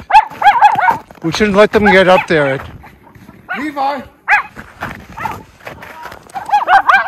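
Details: Two Miniature Schnauzer brothers romp through tunnel trails in deep snow in Maine, January 22, 2023, after two weeks of snowy weather; quick high arched barks open and close the passage, with a person talking in between.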